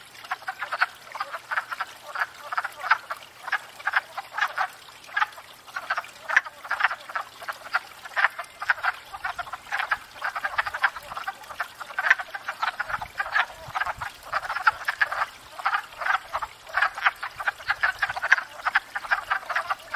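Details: Full spring breeding chorus of wood frogs at a pond, courting and breeding; continuous loud clucking, quacking croaks from many frogs at once, rhythmic pulses running without pause.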